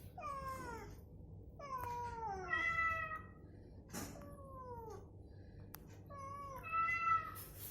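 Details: A recovering cat is coaxed by playback of matching meows to move and give voice. Six long, falling meows trade back and forth, some rising at the start, with a short click near the middle and a low background hum.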